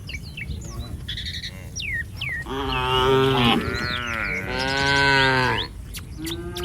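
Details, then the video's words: Cattle herd wandering on a road, two long overlapping moos, the second bending downward midway, preceded by bird chirps and whistles that continue in the background. "Suara sapi lucu Moo"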